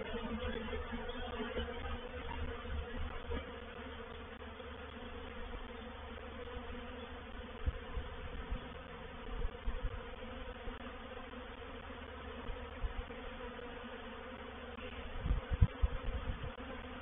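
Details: Reproductive swarm of honey bees moving into a bait hive (swarm trap) at Painted Peacock Manor, 04/07/21; a steady low, droning hum with layered tones, broken by occasional soft thumps and louder knocks near the end.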